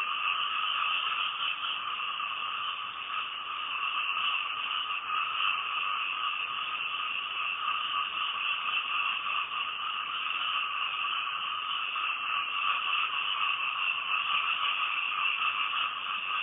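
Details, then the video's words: Night-time frog chorus recorded from a house in Thailand, a continuous layered drone of many callers with two steady pitch bands and a faint rapid pulsing, loud and unchanging across the whole stretch. "Night Time Frog Sounds"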